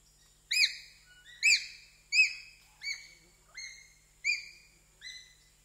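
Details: Individual screams of a pygmy chimpanzee, or bonobo, recorded in Zaire's Wamba Forest, Equateur Region: sharp, high, abruptly starting calls with stacked overtones, each trailing off, repeated about every 0.7 seconds, seven in all, over a quiet background.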